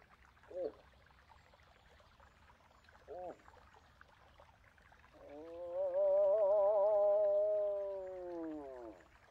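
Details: Moose: two short clipped calls spaced a few seconds apart, followed by a long, slightly quavering moan that swells, holds, then fades downward.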